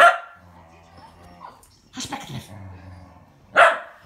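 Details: Shetland Sheepdogs, a tricolor and a blue merle, racing on 22 February 2017: one loud sharp bark opens, a low murmur of speech follows, then another abrupt bark near the end.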